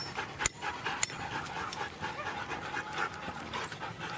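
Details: Brief stretch of quick, airy panting from Siberian huskies at a race in East Anglia, with a couple of sharp clicks or knocks and constant outdoor hubbub behind.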